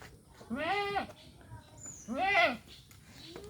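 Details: Castrated male goat, one of three good-breed goats for sale in Mahilara village, Gournadi, Barishal; two loud harmonic bleats about 1.5 seconds apart, each rising then falling, with faint background noise between.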